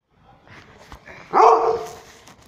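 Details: French Mastiff puppy, one of a litter kept in Jabalpur, Madhya Pradesh, lets out a single short, loud, harmonic bark midway through, preceded by faint background clicks and soft noise.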